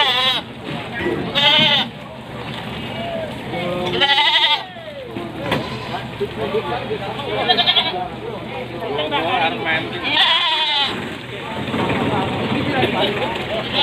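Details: Jumbo billy goats traded from vehicles at the busy Panggul Wage market, Trenggalek, East Java, Indonesia, 8 July 2019; several shaky, nasal bleats break out every few seconds amid loud overlapping human voices and market bustle.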